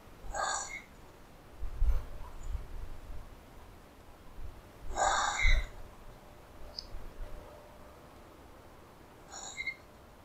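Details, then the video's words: At night in a New Zealand public park during a possum cull, a common brushtail possum gives hoarse, breathy rasping bursts about five seconds apart, with low rumbling noise between them; captured with a thermal camera. "Possum's roar / Brushtail Possum sounds"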